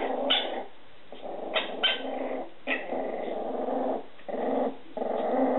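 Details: Indoor recording of Etna's Scottish Terrier puppies, steady low growls in long stretches separated by short gaps, with a few higher yelping squeaks on top.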